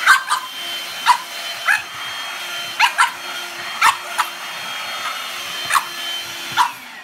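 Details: A French Bulldog puppy gives short, sharp, high-pitched yaps at a handheld vacuum cleaner over its steady drone.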